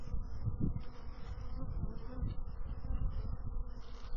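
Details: Bees buzzing in a dense, low droning hum with a steady loudness and a faint higher hiss above it.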